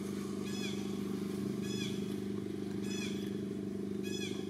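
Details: Baby of the monkey Jade cries loud while its mother pays no attention and Daisy attempts to take it; four sharp, arching high-pitched cries about a second apart, set against constant rumbling motor noise.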